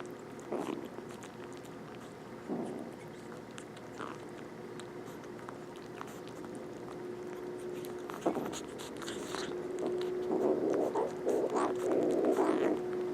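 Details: Two rescued stray kittens with infected eyes, indoors, eating and making small noises: soft irregular chewing clicks and brief low murmuring bursts, growing busier toward the end, over a steady low hum.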